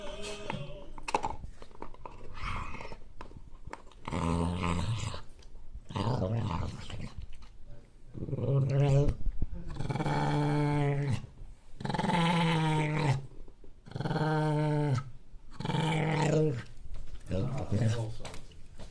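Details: Dog guarding its bone, growling in a string of drawn-out, moaning bursts about a second long each, separated by short pauses, deep and tonal rather than harsh; a person speaks briefly near the start in a small indoor room.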